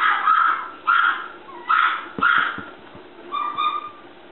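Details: Male Toy Poodle puppy with red coat, aged 54 days, filmed 7 April at a Shiga breeder in Japan, gives a run of five plaintive high whines, rising then sagging, roughly one per second, with faint clicks and knocks between them.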